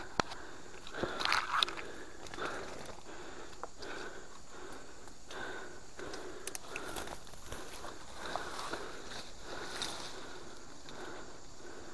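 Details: Outdoor handling sounds with crackles, scrapes and footsteps in a rural forest setting, with brief faint voices and no clear animal call.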